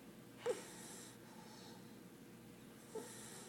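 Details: A 4-month-old English Bulldog puppy, fast asleep, snores with breathy, wheezing breaths a couple of seconds apart.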